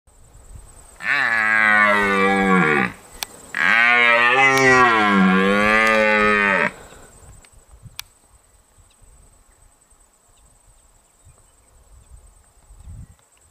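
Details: Red stag in New Zealand giving two long, loud roars of about two and five seconds, harsh and richly harmonic with a slight wavering pitch, separated by a short gap, followed by quiet background.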